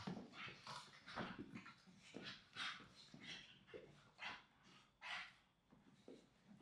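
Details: English Staffordshire Bull Terrier siblings wrestling and rolling on a soft blanket indoors; scuffling, rustling noises with short growls and huffs in irregular bursts, roughly every couple of seconds.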